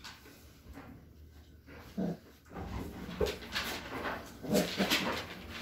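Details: Five-week-old Standard Poodle puppies give short, scattered whimpers and squeaky yips.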